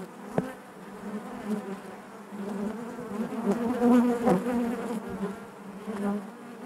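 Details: Hive of honey bees humming as one low buzzing mass, growing louder and fuller toward the middle with close wingbeat passes, then easing back to a steady drone.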